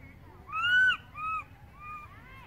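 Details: Baby monkey crying loudly for its mother after she moves far away: three arched, tonal wails, the first long and loudest, then two shorter and softer ones, each rising and falling in pitch, over a low background hum.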